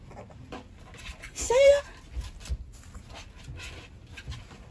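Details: Rottweiler puppy from a litter of eleven being dewormed together, hungry and crying for food: one loud rising whine with a bright harmonic sweep near the middle, surrounded by a person talking and faint rustling.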